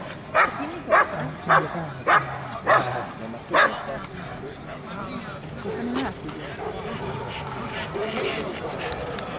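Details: Bianca, a Rottweiler, barks six loud, deep times in a quick, steady series during a temperament test at an Italian Rottweiler club championship, followed by people talking.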